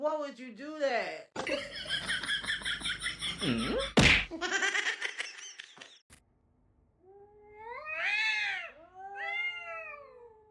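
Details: Pet cat meowing indoors: several drawn-out harmonic meows rising then falling, mixed with people talking and laughing, a sharp clatter midway, then two clear wavering meows near the end.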